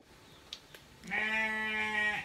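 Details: Goat being bathed, bleating once: a loud, sustained, harmonic-rich bleat lasting about a second after a few faint knocks and splashes.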